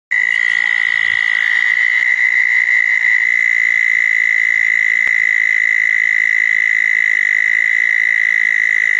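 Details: Southern toads calling around small ponds on a wet night after a thunderstorm, June 10, 2014; a steady, high, unbroken buzzing trill runs throughout, with a second fainter trill overlapping during the first seconds.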